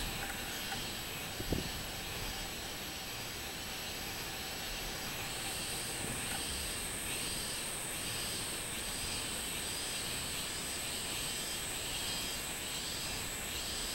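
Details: Robust cicada (minminzemi) recorded 24 July 2016. The first five seconds hold only steady noise. Then comes a pulsing chorus of repeated arched, buzzy phrases, close to one per second, over a constant high hiss and a single sharp click.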